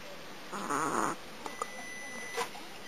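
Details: Domestic cat snoring while asleep, giving one half-second droning, harmonic snore with a wobbling pitch, followed by a few faint soft clicks and taps in an otherwise quiet room.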